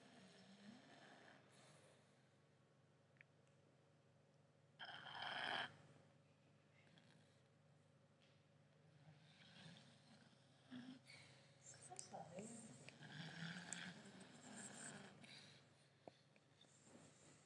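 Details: Five-month-old English Staffie puppy asleep, snoring: long quiet stretches broken by a loud sudden snort, then a run of uneven, rasping snores near the end, over a constant low room hum.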